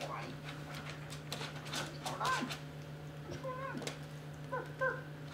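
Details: Playing Basset Hound puppies give several short, tonal whines, some with a rising-then-falling bend, spread across the stretch amid handling noise, clicks and a constant low hum.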